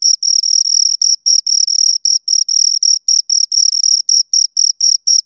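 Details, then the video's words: Pair of crickets stridulating nearby, giving sharp, shrill chirps in quick succession, around four each second, each pulse brief and ringing, with small gaps between groups; nothing else audible. "Two Crickets Chirp Sounds"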